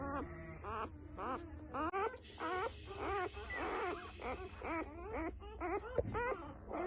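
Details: Newborn F1B Standard Goldendoodle puppies crying, a run of short wavering whines and squeals repeated almost twice a second, overlapping from several pups, with faint murmuring in the background.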